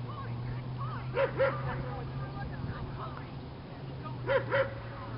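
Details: Marco, a Doberman from a club, on the protection training field for the first time, gives two pairs of sharp, quick barks, one pair early and one near the end, over a steady low hum with people talking nearby.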